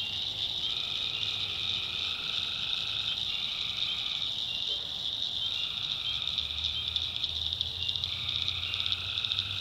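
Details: Swamp at night in the North Carolina backwoods, full of calling tree frogs: a dense shrill trill runs throughout, while lower buzzing voices switch on and off in turns every few seconds over a quiet low rumble.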